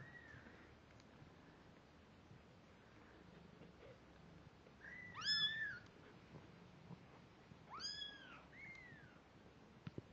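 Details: Kittens at two weeks old, eyes open, ears and hearing developing, first walking around: a few thin high mews, two loud bright arched cries rich in overtones about three seconds apart, then a softer falling mew, over a quiet room.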